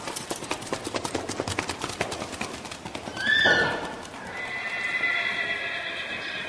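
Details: Paso Fino stallion under saddle in an arena on a fino strip at a farm in Mount Jackson, Shenandoah Valley, Virginia; quick, even hoof taps drum for three seconds, then a sharp high cry and a long, thin, sustained tone.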